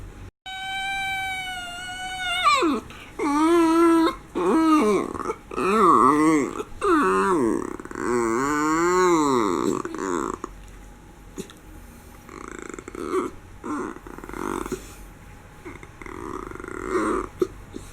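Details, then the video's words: Homer, a miniature schnauzer being pampered at home, starts with a long, high, steady whine, then produces a run of warbling, rising-and-falling moans roughly once a second, trailing into soft rustles and small noises. "Pampered Mini Schnauzer making cute noises"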